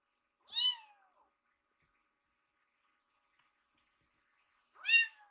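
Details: Two rescued baby kittens waiting politely for food in a row indoors; two short, high meows about four seconds apart with silence between.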